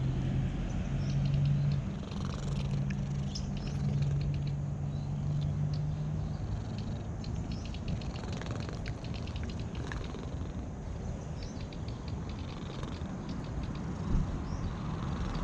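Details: Domestic cat purring while being stroked, later turning to licking: a steady, low, continuous rumble with a fast pulsing rhythm, broken by soft rustling and handling clicks.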